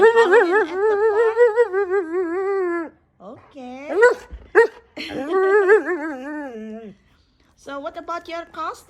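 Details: Wulf the husky 'talks' indoors in reply to questions about Halloween and a costume: long wavering, yodel-like howled phrases, rising and falling in pitch, in three bursts separated by short pauses.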